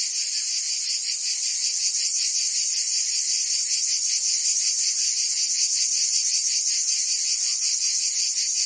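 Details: Cicadas of Provence, France, singing in summer heat: a loud unbroken high-pitched rasp pulsing rapidly, steady in volume, with a faint low tone underneath.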